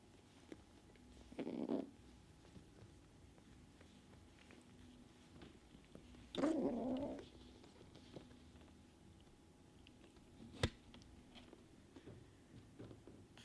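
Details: Alpha kitten Sunshine, picking fights with the other cats, gives two short muffled growls several seconds apart amid quiet background with scattered small clicks and knocks.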